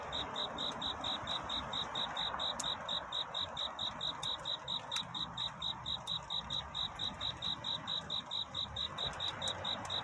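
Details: Cricket's nocturnal love song for courtship: rapid, evenly spaced high chirps at about two per second, joined by faint scattered clicks and ticks in the background.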